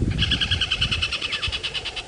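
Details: A very angry tree squirrel gives a fast, steady alarm of sharp, high clicking chirps, about ten per second, likened to a witch cackling, over engine rumble at sunrise, Djuma, South Africa, 14 December 2016; possibly at raptors, snake, leopard or lion.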